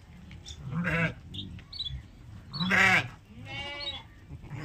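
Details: Sheep calling while being milked: three wavering, nasal bleats, each around a second long, with quieter gaps and low rumbling farmyard noise between them.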